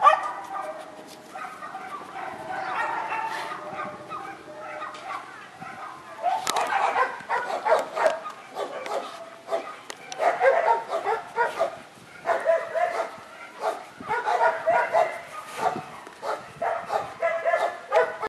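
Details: Dogs at an animal shelter in Rzeszów, Poland, barking together: overlapping short sharp barks from several animals in a steady, dense chorus that swells and fades in waves, with a reverberant, noisy background.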